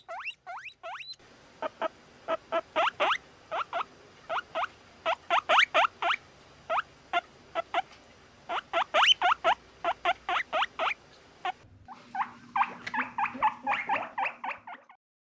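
A guinea pig squeaks in quick bursts of short, high, rising notes, pausing briefly between runs.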